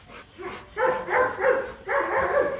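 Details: A Rottweiler at a mating session in Hanoi, Vietnam, with Marvin Gervi and Kacyno Gervi; two short groups of nasal whining cries, three or four in quick succession, separated by a brief pause.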